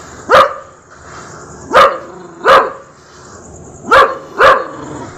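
A Rottweiler gives deep, single barks at uneven intervals, about five in all.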